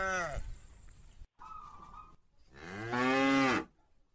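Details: Cattle in a large herd heading to the farm pen in the afternoon, calling to each other; a short harmonic moo at the start, then a long, loud, arched moo near the end, with a faint tonal hum between.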